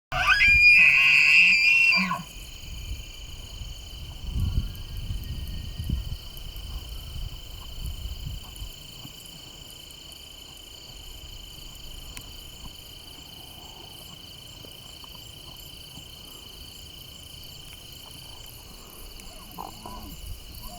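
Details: Elk. An elk lets out a piercing, high whistled scream rich in overtones that ends abruptly after about two seconds. A steady high insect-like drone and low wind rumble continue afterward.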